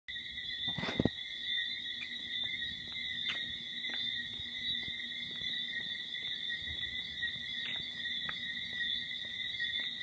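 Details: A dense night chorus of tree frogs at a verandah in Antigua makes a steady, high, ringing trill without a pause.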